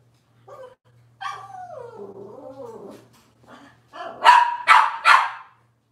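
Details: Robin's Cavalier King Charles Spaniel puppies indoors: soft squeaks lead into a drawn-out, wavering, falling whine with a growly edge, followed by three rapid, loud yapping barks about half a second apart.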